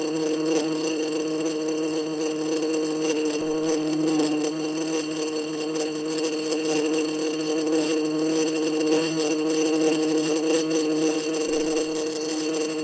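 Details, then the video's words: Wasp buzzing: a continuous, steady, droning buzz with a strong low hum and layered overtones, holding nearly unchanged in pitch and loudness throughout, with no other clear sounds. "WASP VOICE"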